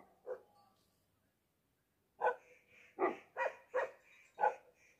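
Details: Tibetan Mastiff, called a Bhote dog, giving deep resounding barks: one bark, a pause, then five loud barks in quick succession with a faint tonal hum between them.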